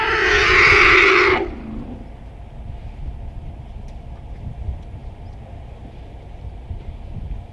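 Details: African elephant herd at a favourite water-hole in Kruger National Park, irritated by many tourists present; one loud, harsh, broadband blast lasting about a second and a half, then only quiet low ambient rumble.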